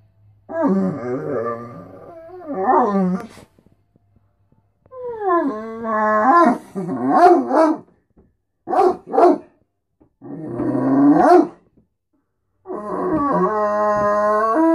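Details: Beacon, a Great Dane, vocalizing as he does every morning when he wants to be fed and wants attention: long, moaning, harmonic howl-like phrases rising and falling, separated by short pauses, with a few brief yelps between them.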